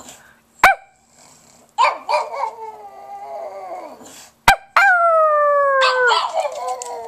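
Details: Pug howling indoors, a rough wavering wail that gradually falls in pitch, a brief pause, then a clearer sustained howl that slides slightly down; sharp knocks in between.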